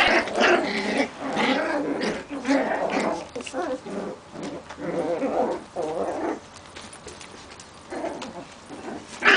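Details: Young Maltese puppies, several together, giving dense overlapping whimpers and squeaky growling yelps in bursts across the recording, with brief quieter gaps and a sharp high squeal at the very end.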